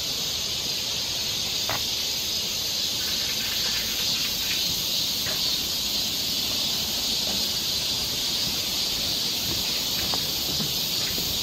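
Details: Korean summer forest near Seoul filled with cicada song: a steady, piercing high buzz that never pauses, while brief faint clicks and chirps of other small creatures sound now and then.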